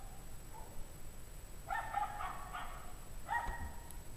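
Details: Pack of unhappy dogs outdoors at 5 PM on January 9, 2009, at 17 degrees Fahrenheit; distant, tonal, somewhat howling barks come in a longer cluster of several rapid calls, then a single short burst, over a steady low rumble.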